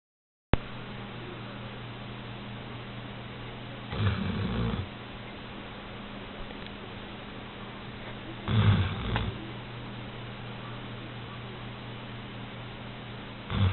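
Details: Female Old English Sheepdog asleep in bed, snoring: low rumbling snores swell about every four and a half seconds over a steady low hum of breathing, indoors.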